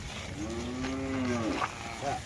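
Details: Punganur cattle on a farm holding calves and cows: one drawn-out, fairly high-pitched moo of just over a second, steady then dipping at the end, over a low background hiss with faint brief noises after.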